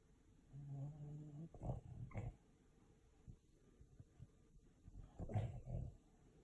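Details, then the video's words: Sleeping dog sneezing in its sleep: a low droning whine, then two short snorting bursts, quiet, and a louder pair of blowing snorts near the end; otherwise a quiet room. "My dog sneezes when he sleeps"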